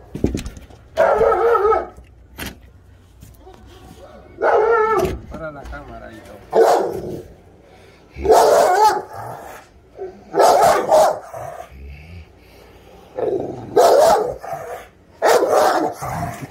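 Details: Presa Canario giving loud, deep barks in separate bursts of one to two seconds, spaced a few seconds apart, with quieter gaps between.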